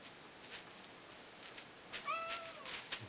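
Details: Indoor male domestic cat coaxed by its owner to talk gives one clear meow that rises and then slowly falls, preceded by soft clicks and rustles in a quiet room.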